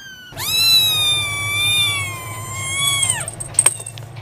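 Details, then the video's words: Domestic cat giving one long drawn-out meow of about three seconds, steady and slightly wavering before a sharp downward drop at the end, over a low constant background hum; a couple of faint clicks follow. "Vidio kucing mengeong lucu"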